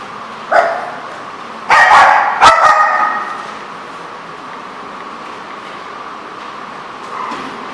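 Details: Dog recorded on 17 March 2014 giving a short bark, then two loud clustered barks close together, then quiet background and a faint final bark near the end.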